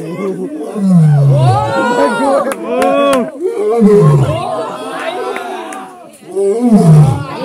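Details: Asiatic lion in Sepahijala Zoological Park, Tripura, India: three or four deep grunts, each falling in pitch, come at uneven intervals while a crowd of people talks loudly over them.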